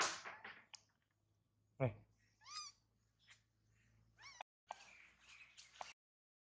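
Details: Baby monkey Mila wails after her mother bites and mistreats her: wavering, quavering high cries rising and falling, mixed with loud knocks, a scraping thud and bursts of hissing noise.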